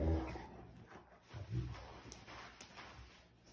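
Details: A Rottweiler throws a temper tantrum after being refused chocolate following a grilled cheese, grumbling and moaning in low, throaty bursts of protest while a person talks nearby.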